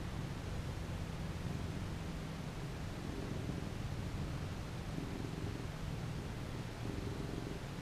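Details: Domestic cat purring contentedly while being petted; a steady low rumbling purr with rhythmic pulses, alternating slightly in strength every second or two, over soft background hiss.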